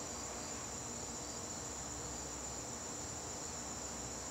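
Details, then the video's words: Garden crickets calling during a September evening: a continuous shrill, even trill held at one high pitch for the whole stretch, with soft low background hum. "garden crickets"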